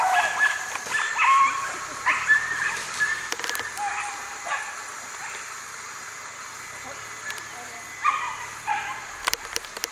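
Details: Excited whippet yipping and barking during coursing training, Charonnay, 29 June 2020. High, thin yelps cluster early, then after a quieter stretch comes a last burst. Human voices and clatter are mixed in.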